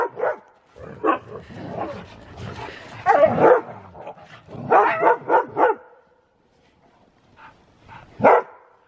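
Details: Siberian Husky doing zoomies in the snow, letting out bursts of excited barks and yips in quick clusters, pausing, then a final loud bark; energetic play vocalizing outdoors.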